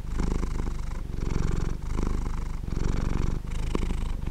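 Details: Low, throbbing purr of a sleeping cat, each inhale and exhale giving a separate swell of buzzing rumble roughly every 0.8 seconds, steady and uninterrupted.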